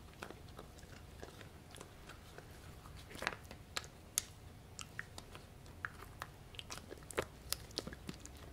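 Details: Pomsky named Gureum, a Husky-Pomeranian mix, eating pork in a small room; quick crisp clicks and crunchy bites scattered unevenly over a soft low background hum.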